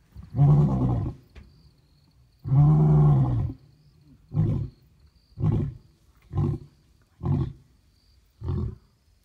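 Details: Lion roaring in Kruger: two long, deep, moaning roars followed by five shorter grunting calls, each ending quickly, spaced about a second apart and fading slightly toward the end, over a quiet outdoor background.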